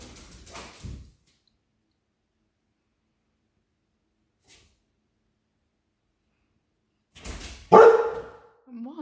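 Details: Female American Akita, scared of balloons during indoor play, barking at them; brief speech, then long silence, then one loud harsh bark followed by a short whine.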